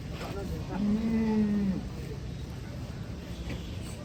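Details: Cattle being unloaded from a truck gives a short, low, steady moo lasting about a second, over a constant background of noise.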